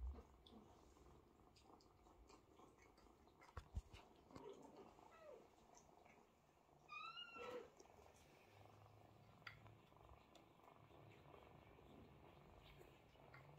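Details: Mother cat grooming and nursing her kittens; a faint low purr runs throughout beneath scattered clicks and rustles, with one brief high rising mew around the middle.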